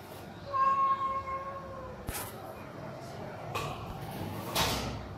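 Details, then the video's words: Hungry homeless cats calling for food in the morning; one long, flat, steady meow early on, followed by several sharp knocks and scraping noises. "Hungry & Homeless cats calling loudly for Food"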